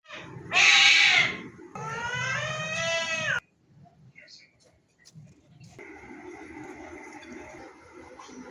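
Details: Cat giving loud, drawn-out harmonic meows, the first sharp and high, the second longer and wavering, followed by quieter room sounds and a faint steady tone.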